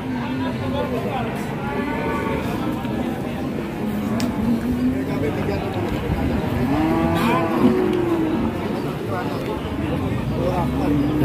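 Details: Cattle at a busy livestock market in Indonesia, with several low, drawn-out moos rising and falling beneath steady crowd chatter and a man talking throughout.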